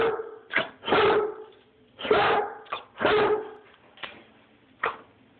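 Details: Rhodesian Ridgeback barking, recorded on a phone: three deep, full barks about a second apart, each preceded by a short yip, with a few softer single yips trailing off at the end.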